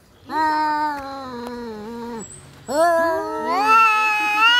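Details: Cats in a fight: a long, steady, harmonic-rich yowl that dips at its end, a short pause, then a louder second yowl rising in pitch, with two overlapping voices near the close.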